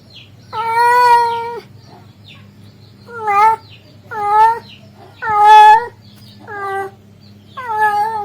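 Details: Male cat calling a female cat: six drawn-out, rich harmonic meows, each lasting about half a second to a second, some gently wavering in pitch, separated by pauses, over a low steady hum.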